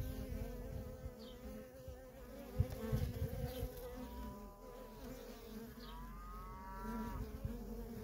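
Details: Feral colony of honey bees with worker traffic streaming in and out; a constant low hum with layered overtones. Brief thin rising tones sound twice in the background, and low thumps fall around the third second.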